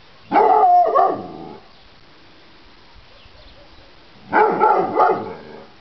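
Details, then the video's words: Gucci, a pet dog, lets out two loud bursts of rough, harmonic barking separated by a few seconds of near silence, each burst holding two or three overlapping barks. "Gucci barking"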